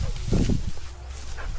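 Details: Shasha, a Rottweiler, out in a paddy field: one short, deep, rough bark burst near the start, then a quieter stretch, with people talking nearby over low rumbling outdoor noise.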